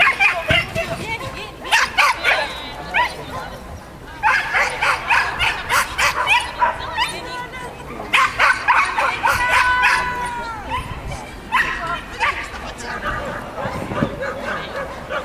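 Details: Manchester Terrier Stig (Rockstyle's Northern Speed) at an agility competition: sharp, high barks fired in quick bursts of several, with short pauses between volleys, over a background of voices and arena noise.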